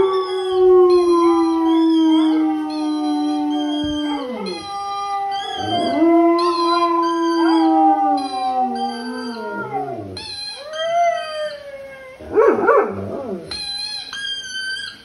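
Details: A German Shepherd howls in long, sliding notes, answering wolf-like howling it hears on TV.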